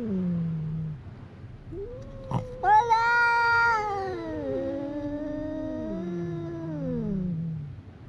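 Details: Fighting cats at a fishing port, recorded on a GoPro HERO8, trade overlapping yowls: a short low moan, then rising and falling wails layered over each other, one briefly shrill and strained, ending in a long descending howl.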